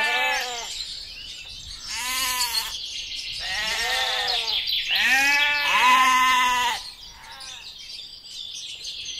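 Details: Several Texel sheep give four long, quavering bleats, the last and loudest stretching almost two seconds, then fall quiet as a busy chorus of twittering birds carries on.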